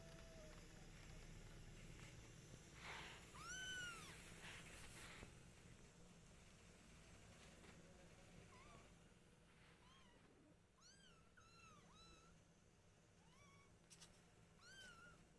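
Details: Household cats, a caring mother cat with kittens and a father cat: one loud arched meow early on, then a run of shorter, high, bent mews repeating about once a second near the end, over a low background hum.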